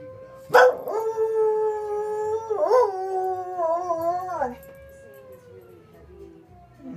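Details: Soft Coated Wheaten Terrier howling along with the fire whistle, as usual. A sharp yelp opens into a long, quavering howl that wobbles in pitch before fading, leaving a steady whistle tone sounding in the background.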